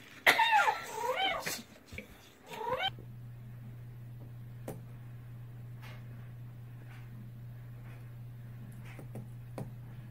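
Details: A cat gives loud, wavering, strained meows through the first three seconds, then falls silent while a steady low hum fills the rest.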